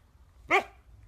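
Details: A dog, just ordered back to bed and told not to talk back, answers with one short, sharp bark rich in stacked harmonics, rising quickly and fading within a fraction of a second over a faint low room hum.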